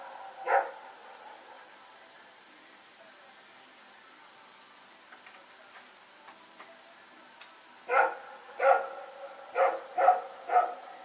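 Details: Dogs barking during the night while running around, September 21, 2018: one lone bark, several quiet seconds with faint clicks, then a run of five fast barks near the end.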